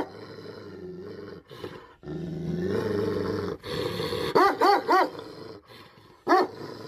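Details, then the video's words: Tibetan Mastiff (Bhote Kukur) from Nepal, described as angry: a long, low, rumbling growl that swells and fades, then a quick burst of three loud barks and one more bark a moment later. "Angry dogs barking effect sound ||Tibetan Mastiff || Bhote Kukur"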